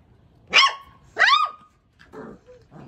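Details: A one-month-old Labrador Retriever puppy, described as angry, lets out two high, sharp yelping barks in quick succession, followed by softer, rougher grumbling noises.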